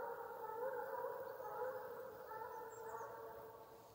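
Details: Hunting chase (gon) in Ivanovo region, a Russian hound's farewell song: unbroken, slightly quavering howl-like baying that holds its pitch and slowly fades over a few seconds.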